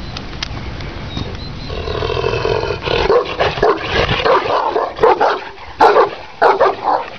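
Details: Kangal, a Turkish Shepherd Dog from Sivas, Türkiye, said to stand 90 cm and weigh 90 kg: after a quieter start, loud deep harmonic barks arrive in uneven bursts, some long and roaring, over a background of low rumble.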